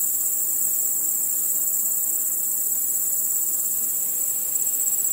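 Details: Night insects led by chirping crickets: an even, sustained high shrill trill from a large chorus, no pauses, with only faint low background texture.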